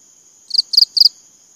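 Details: Cricket chirping: three short, high, shrill chirps, each a quick double pulse, about four per second, over a faint steady high-pitched whine.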